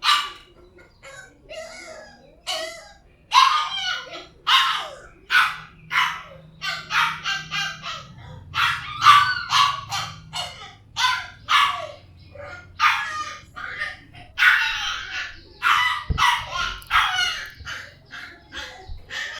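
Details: Puppies barking: rapid, high-pitched yips and short barks repeated throughout, several voices overlapping, with a faint low hum in the background.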